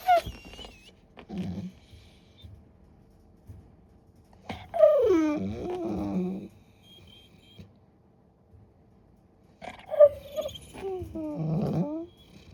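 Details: Great Pyrenees puppy named Ni in crate training, not yet a fan, making silly noises to get attention indoors: three bursts of high whines sliding down into throaty grumbling, woo-like moans, each lasting one to two seconds with quiet gaps between.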